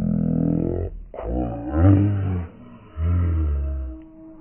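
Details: Clydesdale horse called Dream, kept with a companion horse named Boots: a deep, low rumbling voice with rich harmonics, one steady tone, then a wavering, quivering stretch, then a second steady low tone after a short pause.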